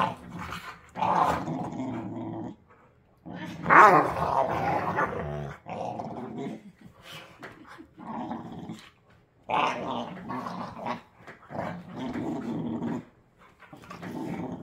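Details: Two pit bull puppies play-wrestling indoors, one a young pup with baby teeth, the other a rescue; rough gurgling growls and snarls come in bursts of one to three seconds separated by short pauses.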